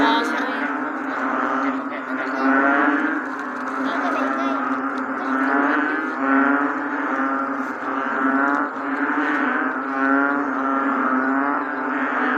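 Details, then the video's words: Bullfrogs calling on a rainy day: dense, droning chorus of low, moaning, harmonic-rich croaks that overlap continuously, swelling and fading in waves roughly every two to three seconds. "The Bullfrog 🐸during rainy days.🌧️"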